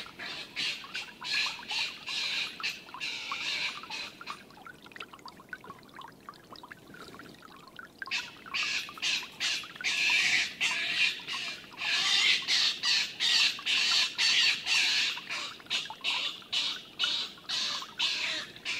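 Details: Stone marten fight on a livestream: older, bigger Milton beats up young Martin. Harsh, noisy screeching bursts come in rapid irregular runs, several per second, with a quieter stretch near the middle before the squabbling intensifies again.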